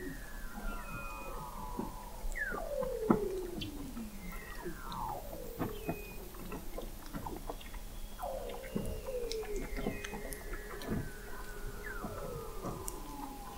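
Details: Weddell seals singing beneath the sea ice of McMurdo Sound, Antarctica, in November 2017, picked up by a seafloor observatory 21 m under the ice. Repeated long descending trilled whistles overlap, with high thin tones and steady clicking.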